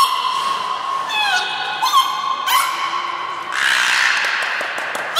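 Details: Belugas Niko and Mirai during a training session at Port of Nagoya Public Aquarium, 29 February 2020; a steady, reedy, harmonic tone with short sliding and rising chirps, then a louder, rougher buzzing burst in the final seconds, in an echoing indoor hall.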